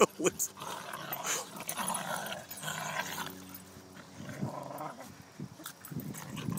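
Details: A Jack Russell Terrier growls in rough, rumbling bursts while play-fighting with a chocolate Labrador Retriever at a dog park, with a man talking and cheering over it.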